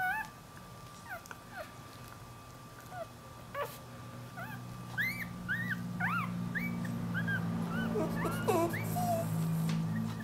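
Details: Dachshund puppy searching for its mother, whining in many short high squeaky cries, some sliding up, coming in quick irregular bursts over low rumbling background noise and a steady hum.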